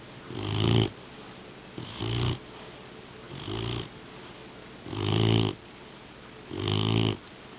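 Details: Sleeping English Mastiff puppy, tired after sit training, snoring loudly; five deep rumbling, rattling snores roughly every one and a half seconds, each swelling then fading, with quiet pauses between.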